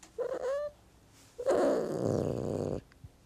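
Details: House cat with a brief rising meow, followed after a pause by a longer, harsh, low growling cry lasting over a second. The room is otherwise quiet.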